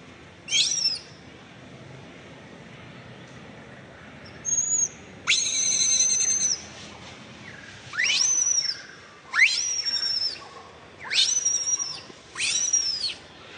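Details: Baby monkey Bean, living wild around Angkor Wat, yells loudly before accepting nursing, giving shrill, whistle-like screams that sweep sharply upward, repeated every second or two.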